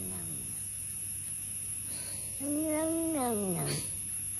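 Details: Kitten meowing indoors: after two quiet seconds, a single drawn-out meow holds steady, then bends sharply downward at its end, over a low steady hum.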